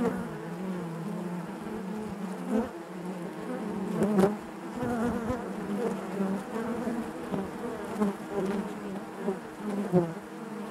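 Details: Continuous colony hum of honey bees in the hive, a rich low buzzing with stacked overtones and frequent small swells, one stronger surge midway, otherwise a constant murmur.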